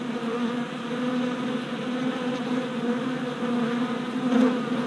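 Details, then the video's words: Steady, dense hum of many worker honey bees on orientation flights in front of a newly installed hive, recorded late April on a GoPro, low buzzing with slight rises as individual bees pass near. "Honey Bee Orientation at Hive"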